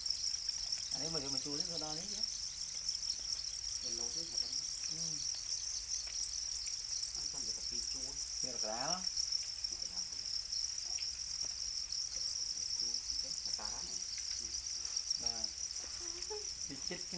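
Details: Many domesticated black crickets, known as para crickets, held in captivity produce an unbroken shrill, high trilling chorus; voices of people conversing come and go over it, fading in the later half.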